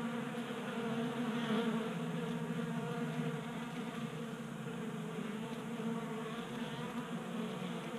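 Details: Feeding honey bees crowding a 3D printed feeder in a Colorado garage during a 60-degree January day: thick, unbroken buzzing drone with gently fluctuating loudness and layered harmonic hum.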